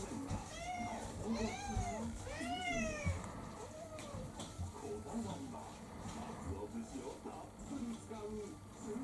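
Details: Pestering for her dinner, Kurumi the orange tabby mixed-breed cat, about four years old, gives three loud arched meows in quick succession early on, then softer murmurs amid background voice and room noise.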